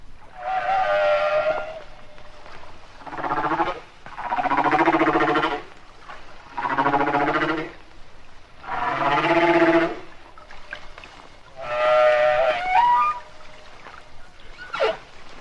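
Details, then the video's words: Hawaiian humpback whale song recorded in shallower water, so deep booming echoes are faint: a series of moaning, harmonic-rich tonal units about two seconds long separated by short gaps, some rising and sweeping upward, ending in a brief whoop. "This is a Hawaiian humpback song."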